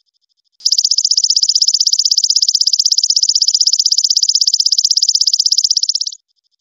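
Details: A golden grasshopper sings a steady, shrill trill of fast, evenly spaced pulses lasting several seconds, a bright, clean, high continuous buzz with no other noises around it.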